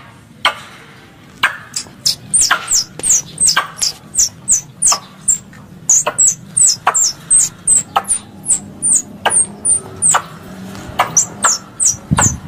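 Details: Squirrel calls in a lure track for squirrel hunting: a lively, fast string of high squeaks and dry clicks, nearly continuous from the second second onward, over a quiet rumbling background.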